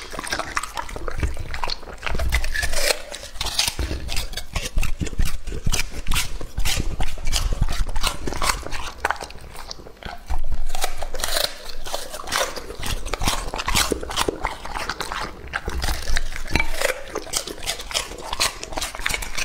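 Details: Lucky, a two-and-a-half-year-old male English-type Labrador Retriever, eating raw meat; wet, crunchy chewing and smacking in dense, irregular bursts throughout, easing briefly around the midpoint before resuming.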